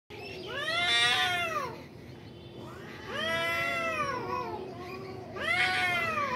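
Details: Two cats fighting at a construction building: three long, wavering yowls, each rising then sagging in pitch, spaced by quieter pauses, with a steady low hum underneath.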